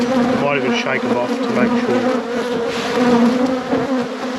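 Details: Honey bee colony buzzing during an apiary inspection, a steady low droning hum that stays level, briefly overlaid by a human voice near the start.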